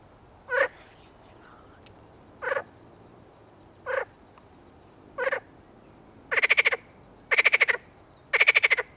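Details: Edible frog giving a series of seven pulsed, rattling croaks, the first four short and softer, the last three longer, louder and more drawn out, spaced roughly one to two seconds apart.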